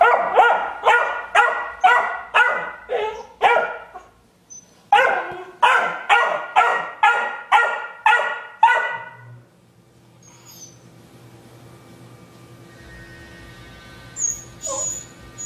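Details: Rhodesian Ridgeback puppy, 12 weeks old, begging for a rawhide from another dog: two quick runs of about six sharp barks each, roughly two per second, with a brief pause between runs, then quiet with faint high squeaks.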